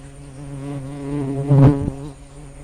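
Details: A swarm of giant honey bees (Apis dorsata) gives a steady, low, droning buzz that swells briefly in the middle. They came to drink sugar syrup left for Apis cerena in the rainy season, emerging once the rain stopped and some sunshine appeared.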